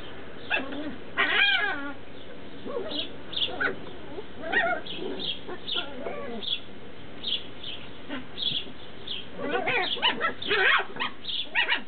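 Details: Tibetan Terrier puppies from Berlin/Brandenburg keep up a busy run of short yips, squeaks and whimpers, often overlapping as several pups call, loudest in bursts near the start and end.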